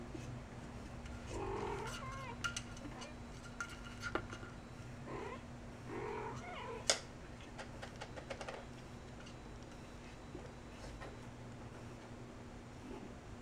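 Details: A female chinchilla golden Persian cat, nearly five and a mother of a litter, romps with catnip indoors. Faint, soft mewing sounds come and go over a steady low hum, with light tapping and rustling.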